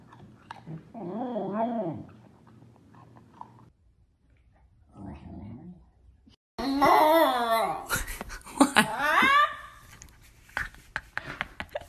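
A corgi gives wavering, yodel-like howls that rise and fall in pitch, then louder strained awoos.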